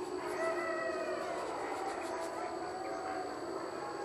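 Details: A distant pack of gray wolves howls as a chorus at dawn, drawn-out wavering notes rising, falling and layering over one another above a constant broad hiss.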